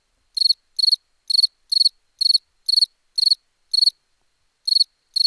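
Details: Cricket chirping in a steady run, each chirp a tight burst of quick high pulses about every half second, with one longer gap near the end; nothing else heard.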